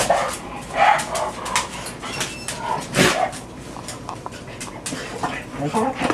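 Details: Pet dogs on a typical morning at home, six living together: short scattered barks and yips break out among background music and a person talking.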